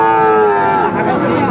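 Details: Sahiwal cattle at a busy cattle market in Cumilla, Bangladesh, on 1 October 2024: a long, steady, harmonic moo held for over a second, slightly falling at the end, over the chatter of traders and crowd noise.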